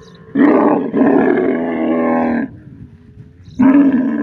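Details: Camel from the desert giving a long, steady, throaty roar lasting about two seconds, then a brief pause before another loud bellow begins.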